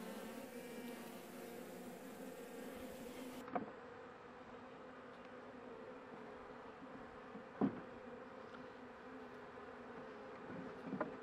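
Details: A struggling honey bee colony kept in a managed hive as spring approaches, with few workers left and some bringing in pollen. A constant low droning buzz is broken by three sharp clicks or knocks.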